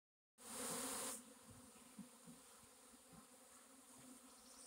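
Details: Honey bee swarm recorded on April 26, 2021: a brief loud rushing burst at the start, then a steady low droning hum with faint overtones and scattered soft clicks.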